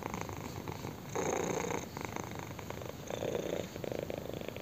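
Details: Close, loud purring from a kitten being scratched under the chin, a rough continuous rumble that swells stronger for about half a second twice, steady and uninterrupted.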